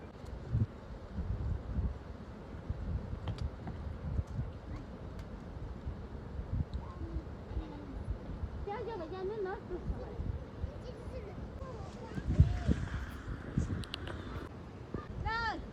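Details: Village goats coming back home give wavering, quavering bleats over a steady low rumble of wind and distant traffic.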